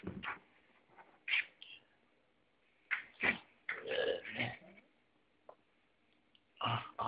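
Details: Kangal dogs making short whimpering and grunting bursts at uneven intervals, separated by quiet pauses.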